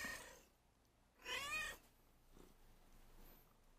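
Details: Hungry house cat, once a street cat, guiding her owner toward where food is given: one brief, bright, slightly strained meow in the middle, otherwise quiet room with faint rustles.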